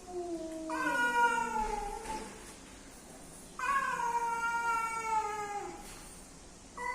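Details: Male and female cats meeting, two drawn-out yowls a few seconds apart, each starting high and sliding gradually downward, over a steady background hiss.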